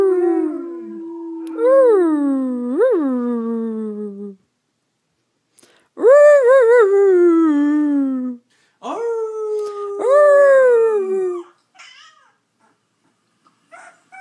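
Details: Alaskan Malamute howling prompted by played-back howls of other malamutes: short wavering howls with quick upward flicks, then louder descending howls that swoop up and slide down, separated by silences.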